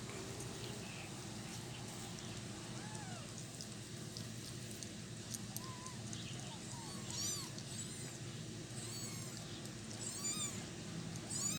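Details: Kittens eating cat food, crowding the food area and keeping their patient mother cat from eating: small arched squeaky mews in the middle, then thin high-pitched squeals later, over steady broadband background noise.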